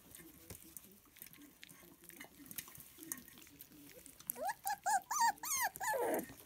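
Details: Lancashire Heeler puppies at breakfast, eating scrambled duck eggs: soft low murmuring, then a sudden run of about eight high, wavering whimpers and yelps, rising and falling, packed into the final two seconds.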